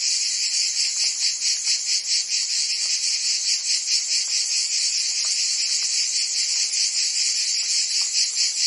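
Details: Chorus of cicadas in a Provence summer, France, a steady shrill buzz with quick rhythmic pulses about twice a second, loudness nearly constant, a faint low hum briefly in the background at the start.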